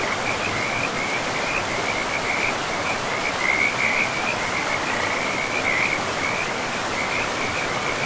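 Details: Chorus of frogs by a forest river amid trees and moss: a continuous high trilling of many overlapping callers, brightening briefly around the middle, set against constant rushing water.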